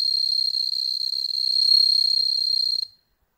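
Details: Indoor captive-bred bell crickets in Hokkaido, Japan, observed by cats; a bright, high, continuous ringing trill with rapid slight pulsing swells a little mid-way, then cuts off cleanly, leaving silence.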